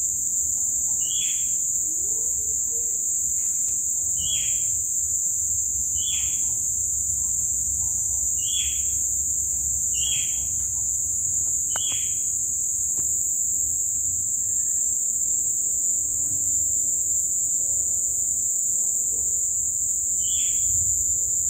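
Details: Crickets calling at dusk after several days of heavy rain, as a colourful sunset fades to dark: a steady, unbroken high-pitched ringing drone, with short bright chirps from another caller repeating roughly every one to two seconds.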